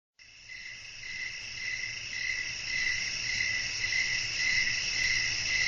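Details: Crickets chirping in a relaxing night-time nature setting with wind. Short chirps pulse about twice a second over a steady high shimmering insect drone. The sound fades in at the start, with a faint low rumble underneath.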